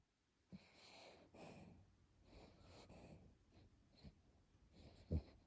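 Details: A fat Chiweenie dog snoring while asleep indoors, snoring like a human: slow, raspy, low breathing sounds rising and falling over several seconds, ending in a sharp snort.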